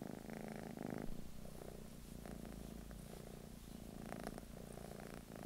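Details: Continuous purr from a British Shorthair house cat in England, deep vibrating rumble pulsing in alternating breath phases roughly every second, with a brief louder burst near the start.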